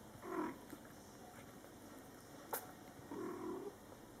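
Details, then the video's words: Mother cat Coco with her Scottish Fold kittens, born July 22, 2012, in their first month of life, as she talks to them. Two soft, low, murmured mews come about three seconds apart, with a brief click between them. "Mom Cat Talking to her Cute Meowing Kittens"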